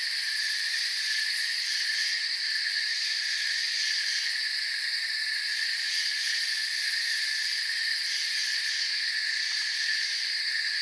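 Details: Crickets fill a forest soundscape with a constant, high, buzzing trill; several overlapping layers of chirping run without a break, and brief brighter pulses appear now and then near the top.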